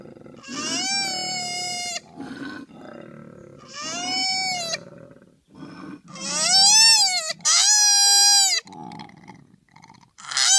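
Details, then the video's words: Koala crying in a series of strained, high wails of varying length; the later cries are louder and sharper, with softer grunting and breathy noises between calls. "KOALA SOUND EFFECT 코알라 울음소리"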